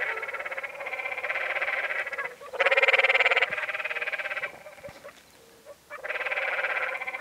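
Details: Canyon tree frogs on the Many Pools Trail in Zion National Park, Utah, give rapid, rattling trills, each a buzzy, bleating burst lasting one to two seconds.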